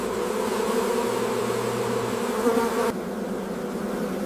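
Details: Honey bees at a large commercial honey operation with beekeepers tending hives; a dense, steady low hum of many wings fills the first three seconds, then drops to a softer, duller drone for the rest.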